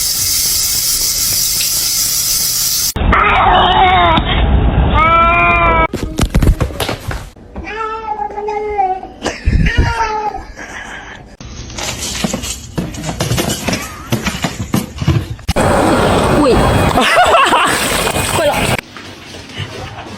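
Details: Cats meowing indoors: drawn-out, wavering meows early on, then a series of clear, arched meows repeated about every half second, with abrupt cuts between scenes and some human voices.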